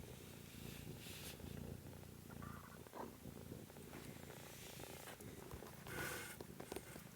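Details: Kittens filmed on 13 March 2017: a low, steady rumbling purr runs throughout, with brief rustling and handling noises and a soft higher swish near the end.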